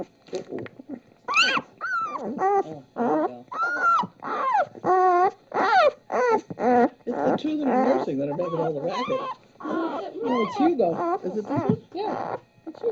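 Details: Puppies making noise while nursing from their mother: rapid, irregular run of high squeaky whines and yips, each rising then falling, nearly two per second, with some overlapping human voices.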